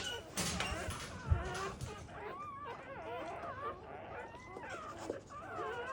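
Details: Newborn black Labrador Retriever puppies from a first litter, during an emergency CPR revival after birth: overlapping wavering, high squeaky whines that rise and fall continuously, with soft low thumps and handling noise.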